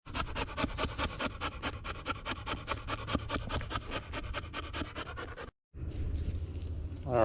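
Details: American Bulldog Lady Shiva panting on a nature walk along the Bear Lake Loop Trail in Blackwater State Forest near Pensacola; quick, steady breathy huffs, roughly two to three a second for over five seconds, then a short break and rustling.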